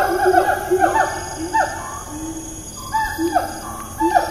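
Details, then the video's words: Wild siamang in Malaysia's Taman Negara National Park, recorded 4 April 2019, gives sharp downward-sweeping whoops in quick series, a pause with soft low hoots, then more swooping notes; constant insect drone behind. "Siamang - Symphalangus syndactylus"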